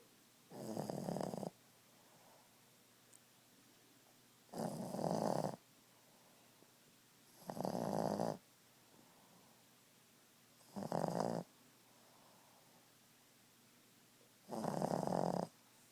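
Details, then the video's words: Asleep at nap time, Boston Terrier Ziggie snores steadily: five harsh, rasping inhalations, each about a second long, recurring roughly every three seconds, with soft silence in between. "Snoring boston beauty."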